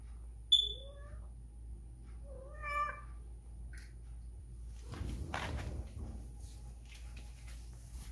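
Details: Whisky, a female domestic cat spayed two years earlier, in heat for the first time since and slipping out of the house to find a male: two short wavering, rising harmonic cries near one and three seconds, then a brief rustling burst.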